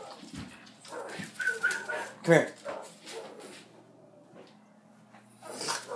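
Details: A male Puggle (half Beagle, half Pug) that usually makes only Pug sounds gives a short, harsh, hound-like bark, a Beagle-like sound his owner had never heard from him before, among a person's repeated calls.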